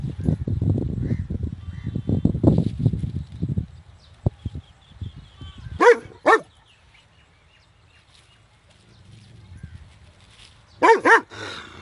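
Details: A big dog gives loud barks in two short bursts of two, separated by several seconds of quiet, after an opening stretch of low rumbling noise and handling sounds.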